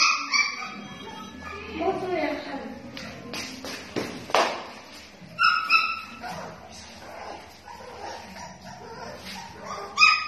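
Pit bull puppies yelp and whine in high, squeaky bursts, with a person talking nearby.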